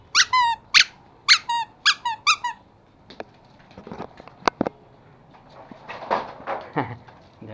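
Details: Two young toy Pomeranian puppies, a male and a female, playing indoors in Kathmandu, Nepal, in September; a quick burst of high squeaky yelps with stacked harmonics in the first half, then scuffling, thumps and a person's voice.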